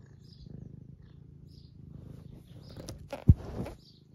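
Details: Soft, low purring from Eric, an 11-year-old semi long-haired tabby living in the UK, enjoying being stroked and seeking attention; gentle rumble pulsing with breathing, then a sharp click and rustle near the end.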